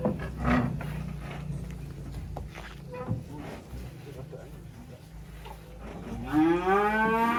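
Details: Black sacrificial cattle being unloaded from a truck at a rural pen. Low rumbling background noise and handling sounds fill most of the stretch, then one clear harmonic moo rises at the very end.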